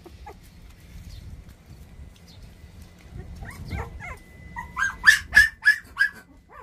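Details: High squeaky cries from 24-day-old puppies. The clip starts quiet with faint scattered whines, then a rapid series of four or five sharp, piercing yelps follows near the end over a faint background hum.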